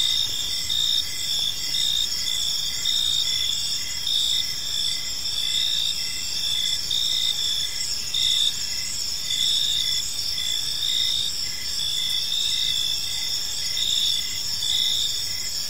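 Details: Many crickets calling together at evening in a park, a dense shrill ringing drone with regularly pulsing chirps running throughout, steady in loudness.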